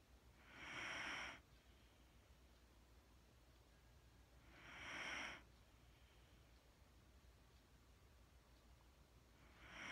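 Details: Mattie the Wheaten Terrier asleep, breathing in a slow rhythm: two full soft hissing breaths about four seconds apart and the start of a third, over low steady background hum.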